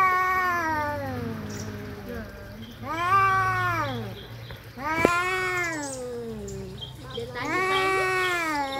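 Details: Domestic cats fighting: a series of long, drawn-out, arching yowls, each about one to one and a half seconds, wavering in pitch with rich overtones, separated by short pauses over a low background hum.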